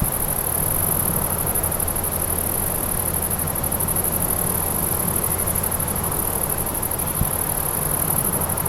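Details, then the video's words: Grasshoppers recorded outdoors in nature: a continuous, very high, finely pulsing buzz held without a break throughout, above a dense wash of broadband background noise and low rumble. "Grasshoppers - Sound of Grasshoppers"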